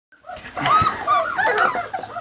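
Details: Puppies Savannah and Jericho at play in a barn during morning chores, giving a run of high, wavering whines and yelps that rise and fall, several overlapping over two seconds.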